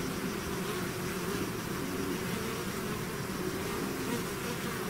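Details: Swarm of bees out of its hive, a dense steady buzz of many overlapping low droning tones, unbroken throughout with no other clear sounds.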